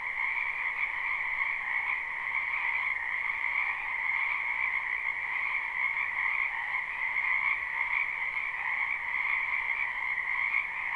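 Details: Many frogs in a spring wetland behind a house, recorded live without looping: a dense, unbroken chorus of high trilling croaks stacked in two steady pitch bands, evenly loud throughout, with no other sounds.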